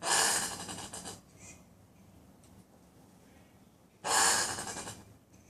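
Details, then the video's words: Common brushtail possums, a pair in a tree by a front patio in Brisbane: two loud, rasping, breathy bursts like wheezing gasps, the first lasting about a second, the second following roughly three seconds later, with quiet in between. "Weird noises of Brushtail Possum in Brisbane"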